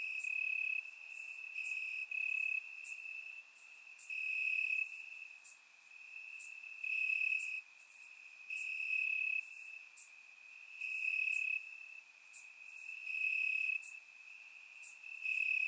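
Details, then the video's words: Crickets chirping in grass on a warm summer night in Bulgaria, recorded with a surround microphone: a steady high trill near one pitch, pulsing louder and softer every second or two, with brighter high clicks overhead. "Cricket Sounds - Crickets Chirping at Night"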